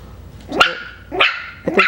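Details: Five-week-old Coton de Tulear puppies from Hannah's litter, out of their kennel for the first time, give three sharp, high yapping barks about half a second apart, each bright and clipped, in a quiet room.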